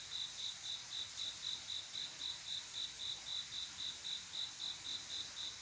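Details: Summer-night cricket, the male's love song to a female: crisp high chirps pulsing steadily about four times a second, uniform in loudness, with a soft high hiss of other insects underneath.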